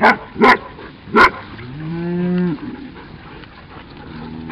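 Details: Cattle being moved to new pasture by herding dogs, including a Cattle Dog, and driven slowly rather than rushed: after three sharp dog barks comes one drawn-out, slightly rising low moo lasting about a second, over steady background hiss.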